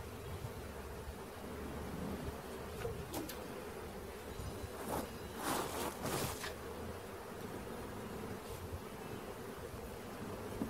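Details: Honey bee swarm, caught on capture, buzzing in a continuous rich hum, with a few brief rustling bursts partway through.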